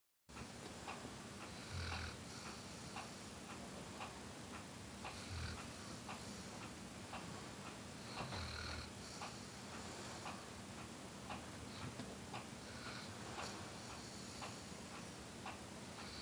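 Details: A male Weimaraner asleep during a Sunday nap snores softly, a low rasping breath repeating about every three seconds.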